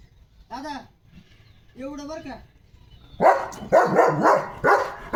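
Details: Excited about a chicken chips treat, Leo the German Shepherd breaks into a fast series of loud, gruff barks after two short spoken phrases in Marathi.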